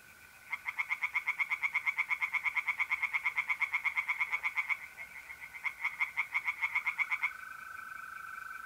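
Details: Tree frogs singing in a pond on an April night in north-east Italy: rapid pulsed croaks, about seven a second, in a long burst and then a shorter one, over the steady high trill of mole crickets.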